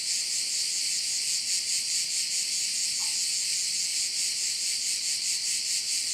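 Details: On Korčula in Croatia, crickets fill a bay with an unbroken high, pulsing shrill chorus, steady in volume, with a tiny faint chirp-like blip midway.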